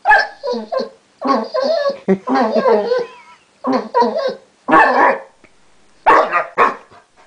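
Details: A basset that has recently learnt to 'talk' gives drawn-out, moaning yowls run together into chatter-like phrases, with short silences between bursts and a few sharper, louder syllables near the end.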